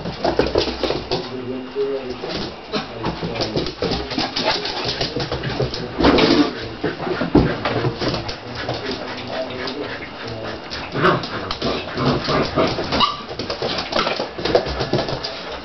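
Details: Siberian Husky puppies playing with their big brother Echo, an adult Siberian Husky, indoors; short whiny whimpers and yelps come in bursts amid scuffling, over steady human talk throughout.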